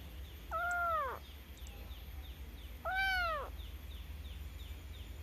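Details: Cute domestic cat meowing twice, about two seconds apart, each call a clear harmonic tone that bends upward and then drops, the second one slightly louder, over a faint low hum.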